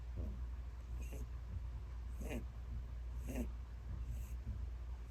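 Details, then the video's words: Snoring from Peter, a ten-year-old domestic bunny who sleeps a lot in old age: rough, breathy snorts roughly every second, some stronger than others, against constant low background hum. "Peter Snores Loudly"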